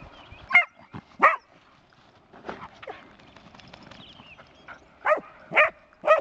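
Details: Skye Terrier barking in brief, abrupt bursts, a pair near the start and a quick run of three at the end, with softer noises in between.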